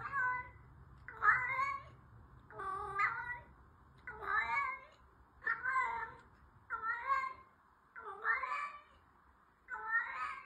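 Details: Orange female cat giving a steady series of seven loud, nasal meows, each about a second long and roughly evenly spaced, bending up and then down in pitch, with quiet room hum between calls.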